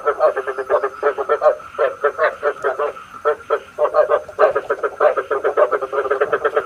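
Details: Bait call of frogs for night trapping with a bagua trap; loud, rapid bursts of short croaks in overlapping choruses, brief pauses between groups, throughout the recording.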